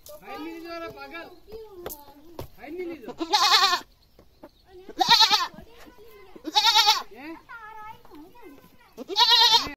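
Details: Village goat crying loudly: wavering, nasal bleats at first, then four loud, raspy screams roughly every one and a half to three seconds, each harsh and broadband, with quieter bleating between them.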